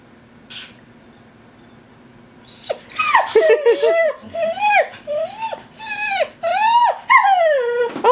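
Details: Female Whippet-Lurcher cross crying to be taken for a walk, standing in front of a visitor indoors: a string of about eight high whines, each rising then sliding down, repeated roughly every 0.7 seconds, after a person's brief question.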